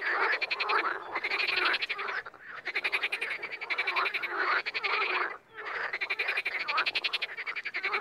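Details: A chorus of wild frogs: rattling, rapidly pulsed croaks overlapping in loud waves about every two seconds, separated by short quieter gaps.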